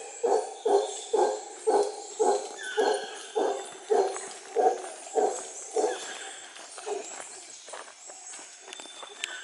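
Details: Territorial calls of male howler monkeys, a troop overhead on the Osa Peninsula, Costa Rica, during a waterfall hike: a run of deep, throaty grunting roars, about two each second, fading away.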